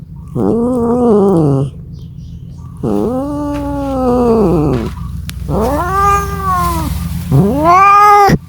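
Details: Domestic cat calling for a mate: four long, drawn-out yowls, each arching up then falling, with rich harmonics and short pauses between them, over a steady low hum.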